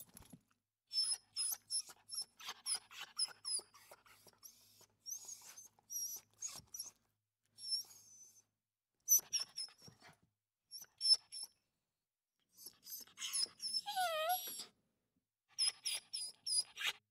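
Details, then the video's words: Small puppies playing together, giving a stream of high, thin squeaks and whines in short bursts with brief pauses, some notes sliding upward and downward, one longer wavering whine near the middle. "puppies playing sounds l small dogs playing"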